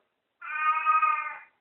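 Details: Katy, a talking house cat, greets someone after waking up with a single clear, steady, tonal meow lasting about one second, level in pitch with rich harmonics, in a quiet indoor room.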